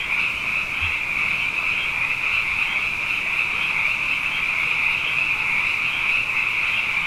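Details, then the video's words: Frogs in large numbers after two consecutive wet years, heard at night as a continuous sound bath: countless overlapping high trills merge into a single steady, pulsing drone without any gaps. "Frog Songs: Na Mele o nā Paloka"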